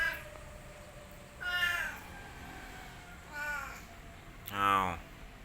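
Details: Boy, a pet orange village cat in Indonesia, meows three times at spaced intervals, the last meow loudest and most strained, with quiet room hum behind.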